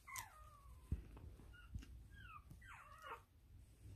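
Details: Female Tiny Poodle puppy: soft, high whimpers that slide downward, one near the start and a cluster of short wavering squeaks toward the end, faint against a low background rumble.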